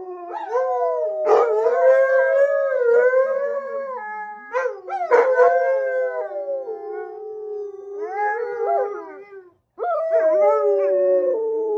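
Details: Howling by three Alaskan Malamutes, Sojou, Fish and Dotty, set off by one of their videos replaying on a computer; stacked wavering howls with yip-like starts come in waves, a quieter stretch and a short silence before renewed howls.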